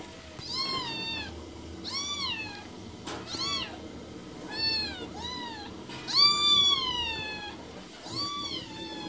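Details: Kittens and cats meowing in quick succession, six harmonic mews that rise and fall, one longer drawn-out cry near the end, with a brief knock between calls indoors.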